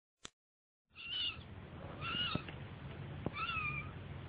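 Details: Kitten giving three thin, high mews, each a short arching whine rising then falling, spaced about a second apart after a sharp click at the start, over low background hiss.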